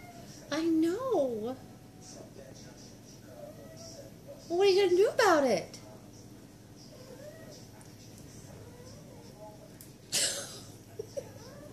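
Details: Mother cat nursing her kittens indoors gives two drawn-out, wavering meows that rise and fall in pitch, the second louder and more strained, while a woman talks softly to her and a sharp knock sounds near the end.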